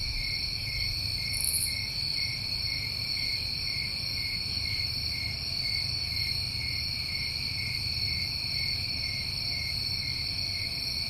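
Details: Summertime crickets in New England form a steady, unbroken chorus of high, shimmering trills stacked in several pitch bands, with a brief brighter chirp near the start over a low background rumble.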